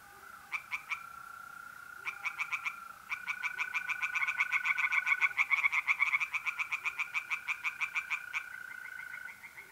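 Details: Tree frogs singing in a pond at night in mid-April in north-eastern Italy: bursts of rapid, rasping pulses that start and stop, then swell into a long fast run, over a steady high trill of mole crickets.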